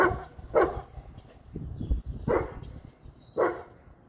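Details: Dog barking, one of three dogs kept together: a 3-year-old female brindle Boerboel, a 9-year-old male American Bully and a 1-year-4-month-old female brindle Serbian Defense Dog. Three deep, loud single barks spaced about a second or more apart, with low background rumble.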